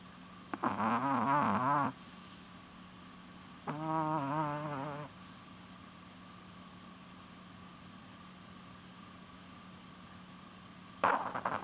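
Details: Asleep, Porun the female Chihuahua, almost 12, gives two drawn-out vibrating snores, each roughly a second long and a few seconds apart, then starts a third at the end, over a constant faint low hum.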